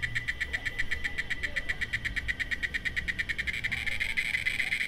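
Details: Cicada singing: a rapid, steady train of buzzy pulses at a shrill, high pitch, repeated many times a second with an even rhythm, over a faint low rumble of background noise.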